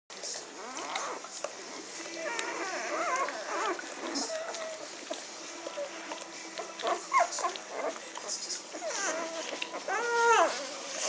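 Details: Magyar Vizsla puppies from a litter, recorded on 17 May 2015, giving high squeaky whimpers and whines, several rising-then-falling arched cries near the end, with human voices talking throughout.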